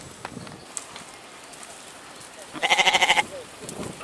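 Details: Goat giving a single short, quavering bleat with a rapid tremolo, preceded by faint clicks and rustling in a quiet setting.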